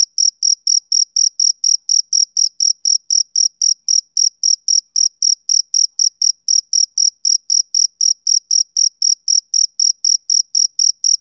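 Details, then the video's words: Summer-evening chirping of a male cricket: a high, clean chirp repeated roughly four times a second in an unbroken regular beat, with a faint upper overtone and a silent background. "Cricket Chirping Sound Effect"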